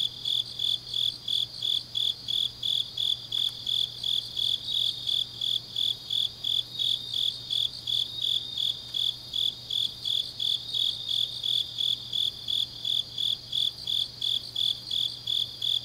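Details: Late-night autumn grass insect song recorded in Changnyeong, South Korea: a long run of sharp, high chirp bursts at a brisk even pace, roughly three per second, over a wash of softer insect trilling and a quiet low hum.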